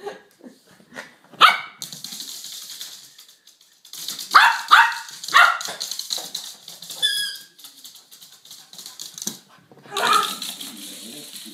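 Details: Suzy, a Yorkshire terrier, playing with a ball indoors: scattered sharp high barks in short bursts, with rustling and clatter between them and a rapid run of yaps near the end.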